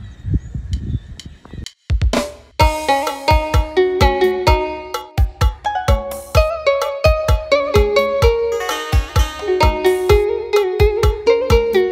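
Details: Plucked, rhythmic instrumental music with steady beats and shifting tones plays throughout, with no animal voice heard.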